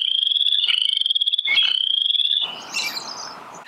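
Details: A Western chorus frog in a Michigan wetland in spring gives rising, pulsed trills that sound like fingers run along a plastic comb; it is a small frog with a white stripe along its upper lip.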